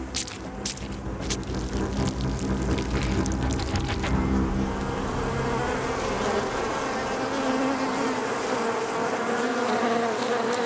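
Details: Honey bees buzzing in a dense, continuous hum with steady layered tones, sharp crackling ticks in the first few seconds, the drone holding at even loudness throughout.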